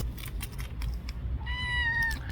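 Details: Stray baby cat, wary and hidden beneath a car, lets out one drawn-out, thin, steady meow that dips slightly at its close; soft background clatter and hum precede it.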